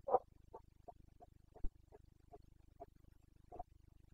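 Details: Carpathian red deer stag in the Bucovina mountains during the boncănit rut, 29 September 2022: a run of short, gruff grunts, about two per second, the first strongest, over a steady low mechanical hum.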